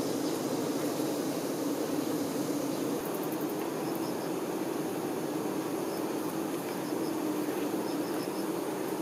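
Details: Continuous low buzzing of honey bee workers caring for the queen, a thick even drone with a few faint high ticks and short chirps scattered over it.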